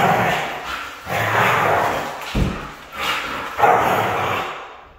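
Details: Red female Siberian Husky vocalizing in continuous harsh, grumbling bursts, roughly one per second, with a dull thump midway through the sequence.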